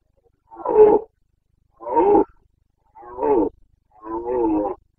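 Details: Carpathian red deer stag roaring during the breeding season rut in the Bucovina mountains, Romania, 29 September 2022: four loud, hoarse, drawn-out bellows, each about half a second to a second long, spaced roughly a second apart, with no other sounds.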